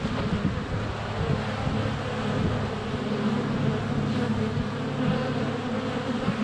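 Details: Honey bees at a hive entrance in February, GoPro less than a foot away: a rough, steady low hum of many wings, slightly blurred by wind noise.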